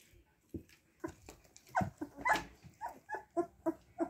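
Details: Siberian Husky puppies asking for attention as people approach: a run of short, high whimpering yelps, repeated roughly twice a second, rising in loudness toward the end, with faint rustling in the background.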